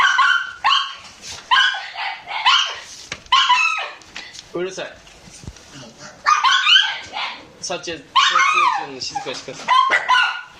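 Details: A Shiba Inu puppy at the breeder's gives high, sharp yapping barks in quick bursts while people talk nearby and ask for quiet.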